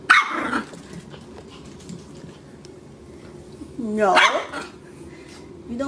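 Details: A pet puppy gives one loud, harsh bark at the start, then a long quiet pause, then a second strained, wavering bark-whine near the end, with little else around it.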